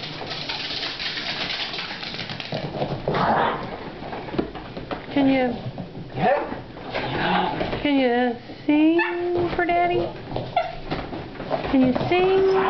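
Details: Four pet Italian Greyhounds indoors "singing" in excitement as they wait for their owner to return from work; several overlapping wavering, quavering howls rise and fall in pitch through the second half, with a woman talking and soft household noise.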